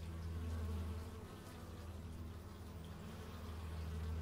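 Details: Outdoor stereo recording of bees made with an x/y microphone: a deep, continuous droning hum, louder at the start and end, as if an insect hovers near the microphone.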